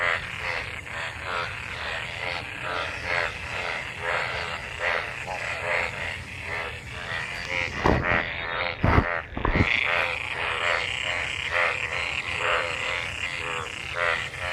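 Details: Frogs mating in water left by monsoon rain give a chorus of repeated harmonic croaks, roughly one a second, interrupted midway by a few loud broadband knocks.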